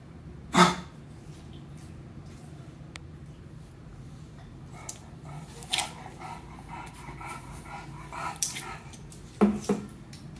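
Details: English bulldog puppy named Meatloaf, described as naughty and stubborn, gives two short, sharp barks, one near the start and one near the end, with soft scuffling and rustling between them over a low steady hum.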